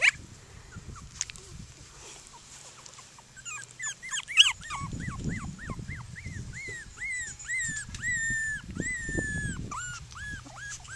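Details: Outdoors with seven playmates, a Cockapoo puppy whines insistently: after a few scattered yelps, a rapid series of short, evenly spaced arched whines follows, roughly two a second, rising then falling, with rustling and handling noise underneath.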